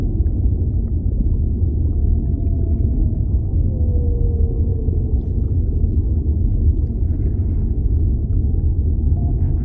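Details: A whale in an underwater ambience recording gives a faint, long downward-gliding moan early on, partly sunk beneath a heavy, unbroken low roar of water.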